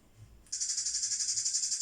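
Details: A cicada, heard in summer, gives a loud, steady, high-pitched buzz that starts abruptly and pulses rapidly without a break, made by vibrating part of its body.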